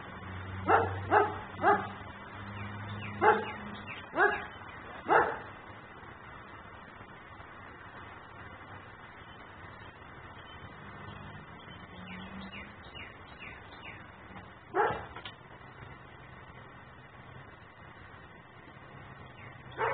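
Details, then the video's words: A dog kept outside in Mecklenburg barks as a nuisance, picked up by a home camera: a quick series of half a dozen harsh barks, then a long gap with a low steady hum, then one more lone bark. "Barking dog no one hears.......but me"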